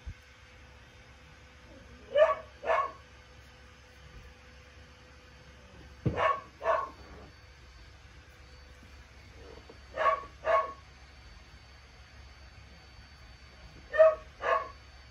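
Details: Pairs of short puppy barks from Lucille, seven weeks old, repeated roughly every four seconds, four double yaps over a steady faint indoor hum.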